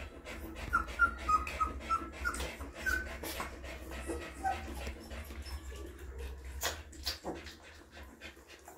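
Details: Puppies being cleaned and fed by their mother dog let out a quick run of small, high squeaks early on. Sharp licking clicks and rustling follow, with a constant low hum beneath.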